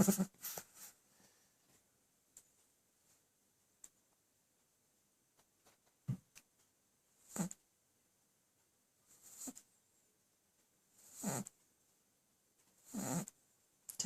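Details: A Boston Terrier napping on a lap after a full meal snores in soft, breathy rasps that come roughly every two seconds.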